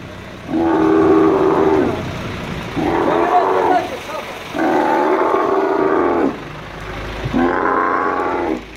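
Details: Dromedary camel, an angry male hoisted by crane at Al Ain Camel Market, United Arab Emirates, on 21.03.2017, gives four drawn-out, rough bellowing roars of one to two seconds each, separated by brief gaps.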